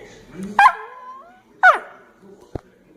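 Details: Domestic dog talking back to its owner: two sharp, high barks about a second apart, each trailing into a brief whine, then a click.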